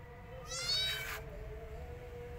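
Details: Rescued kitten hiding inside a person's jacket gives one high, harmonic-rich meow lasting about half a second, over a steady low hum.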